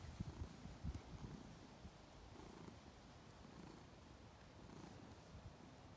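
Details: Male domestic cat lounging on a garden table on a farm in County Kilkenny, Ireland, purring in pleasure as his paws knead the air and table. The purr is a soft, low, steady rumble, with a few stronger pulses early on.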